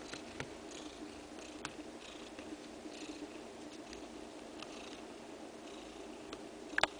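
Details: Domestic cat purring while her two-day-old kittens suckle milk; a continuous soft purr runs beneath faint rhythmic suckling sounds, with a few sharp clicks and a louder knock near the end.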